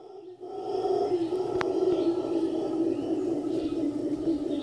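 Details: Howler monkeys waking up in the morning at The Sanctuary in Cabuya, Costa Rica: a continuous, loud, deep roaring chorus that swells and holds steady throughout, with faint high insect or bird sounds above.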